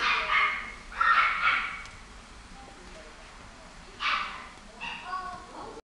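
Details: American Shorthair cat meowing in a few loud, clear bursts, two close together at the start, then a pause before two more calls, over a quiet background.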